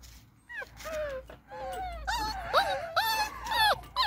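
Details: Beagle puppies playing outside in their enclosure: high, wavering whines and yelps that rise and fall in quick overlapping bursts, several pups calling at once, with faint background noise.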